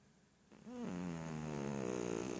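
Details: A kitty sound asleep, out cold, snoring: after a quiet start, one long drawn breath swells into a steady, buzzy, slightly rasping tone that holds to the end.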